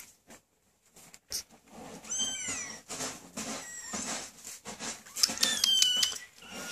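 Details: Three-week-old Maine Coon kittens, the males cameo with white and red, recorded 9/10/13: thin, high-pitched mews start after two seconds of clicks and rustling, then come in a quick, overlapping run of short rising-and-falling cries.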